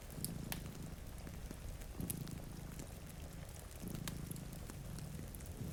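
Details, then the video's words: Two cats dozing at a rainy window by the fireplace give a steady low purr that rises and falls with each breath, accompanied by crackling fire and steady rainfall. "Purring Cat"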